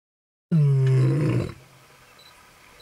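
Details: Lion in Kruger National Park, South Africa, August 2012, roaring while marking territory: one deep, harmonic-rich roar of about a second, then quiet background.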